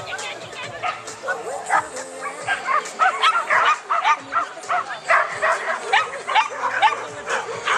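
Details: Chinese Crested dog running in a beginners' agility class, 9 May 2009, Mladá Boleslav; short, sharp barks come in quick bursts, mixed with steady human talk and crowd noise throughout.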